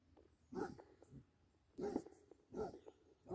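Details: Basset Hound playing with a deer, giving loud, deep barks in uneven bursts, roughly three to four within a few seconds, with quieter rustling between them.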